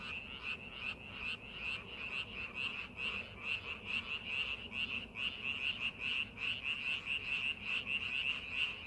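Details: Frogs calling in rice paddies being prepared for farming: a dense chorus of short, bright, high-pitched pulses repeated rapidly and somewhat irregularly, many overlapping callers with a steady background hum.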